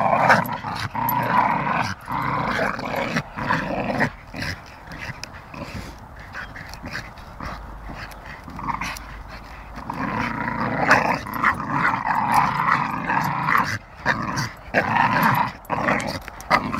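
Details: Staffordshire Bull Terriers, a pair playing together, growling roughly and almost without pause, with a quieter stretch in the middle before the growls swell again.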